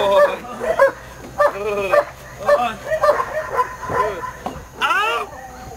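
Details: German Shepherd named Eros during training at a dog training school, giving a string of short harmonic barks and yelps in uneven bursts of about two per second, with a person's voice over them.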